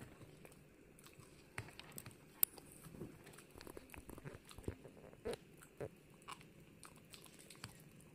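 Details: Hana, a female Pomeranian, chews on a gum treat indoors. Scattered crisp crunching clicks and soft wet mastication come at irregular intervals over a steady low background hum, with one sharp snap near the middle.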